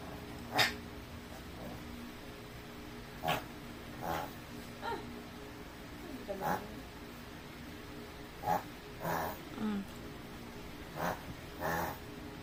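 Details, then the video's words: Chihuahua sneezing over and over, about nine short, sharp, breathy bursts spread unevenly across the recording, with a steady low hum in the background. "Dog Sneezing"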